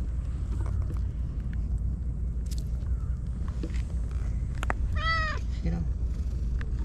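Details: Japanese stray white cat on seaside tetrapods welcoming a visitor, giving one clear, bending meow followed by a short softer one, over a steady low roar of background noise and faint human voice.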